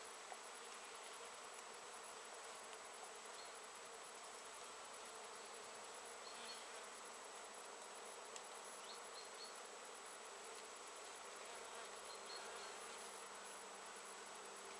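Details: Many honey bees working late-season Japanese knotweed blossoms, 14 September 2013; an even, unbroken swarm hum fills the recording, with a faint steady high tone and a few soft distant chirps in the second half.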